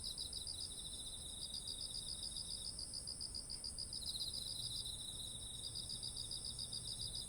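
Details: Autumn insect chorus by ripening rice fields, recorded with a ZOOM H1essential: a constant shrill ringing tone plus quick trains of pulsed trills that drop out briefly and resume, with a faint low hum underneath.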